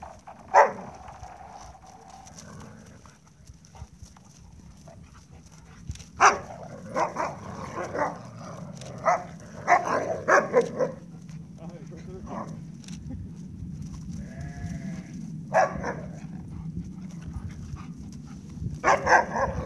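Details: Three Alaskan Malamutes, one a giant, play in water, giving short barks, yips and woo-like vocal bursts in scattered bouts.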